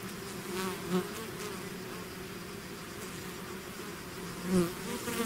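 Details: Swarm of bees leaving the hive: a constant low buzzing hum, with two close fly-bys rising sharply in loudness around the first and fifth seconds.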